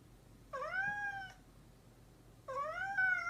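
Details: Domestic cat, described as a mischievous cat, giving two clear, drawn-out meows about two seconds apart, each rising then gently falling in pitch, with faint low hum behind.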